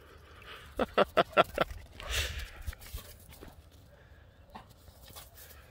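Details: A dog gives a quick run of about five short, sharp barks in under a second, followed by a breathy rushing burst and a few softer, scattered sounds.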